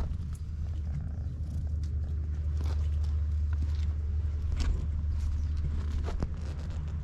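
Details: Purring cat on a Japanese cat island, where stray cats live in a closed-down school, recorded close with a GoPro HERO8: a continuous low, throbbing rumble with gentle rhythmic swells, plus faint rustling and a few sharp clicks.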